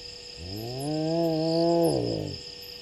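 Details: Lone spotted hyena walking past Gowrie dam waterhole on Djuma Game Reserve, Sabi Sand, South Africa, at 23:19 on 01/03/20, calling as it spots a second hyena; one drawn-out, low, rich call rises, holds, then slides down, over steady insect chirring.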